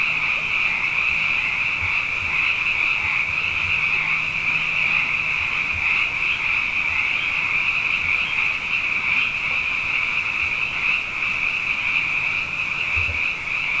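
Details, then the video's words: Abundant frogs at night following two consecutive wet years form a continuous shrill chorus, an even wall of high calling with no pauses, and a faint low hum in the background. "Frog Songs: Na Mele o nā Paloka"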